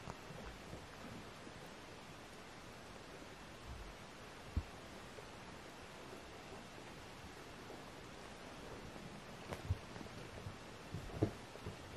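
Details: Only quiet indoor rustling and faint background hiss with a few soft taps fill the recording, with no animal call.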